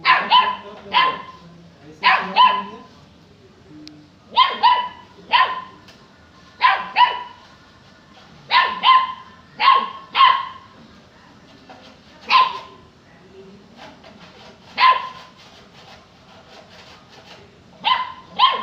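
A Saint Bernard puppy barks in short, sharp bursts, often doubled, with a youthful high pitch. The barks come in an uneven rhythm of about one every second or two, with quiet gaps between.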